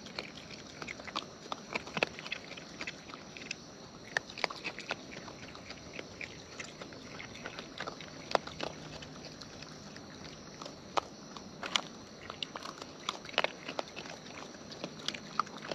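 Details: Eating wild raccoons recorded up close, continuous busy mastication with crackly clicks and periodic louder crunchy bites spread evenly across the stretch.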